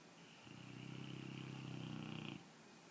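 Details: Sleeping pet dog, jowls flapping, gives one long rumbling snore lasting about two seconds, buzzy and finely pulsed, steady in loudness, in a quiet room.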